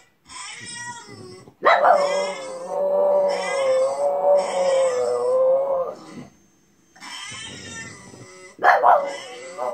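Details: A female French Bulldog watching a crying bulldog on television whines along in a long, wavering, high-pitched cry that rises and falls.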